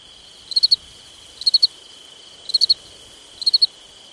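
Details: Crickets on a summer night: crisp high chirps of three quick pulses, repeating about once a second, over a steady high continuous ringing hum.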